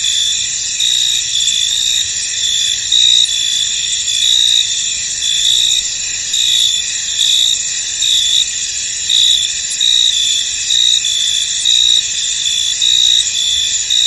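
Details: Foggy field at rest with crickets calling: continuous shrill high-pitched chorus, short bursts of louder trilling repeating roughly every second or two across the whole stretch.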